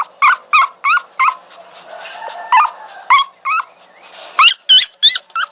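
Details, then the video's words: Dog whining: about a dozen short, high, harmonic whimpers, each rising then dipping, given in quick bursts of four, a pause, then three, then five, over a faint low background hiss. "Dog Whining Sound"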